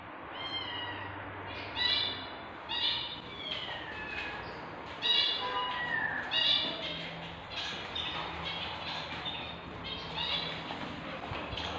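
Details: Pet tabby British shorthair cat giving birth to kittens: a run of thin, high, squeaky mews, about eight short harmonic cries over twelve seconds, some slurring downward, over a steady low background hum.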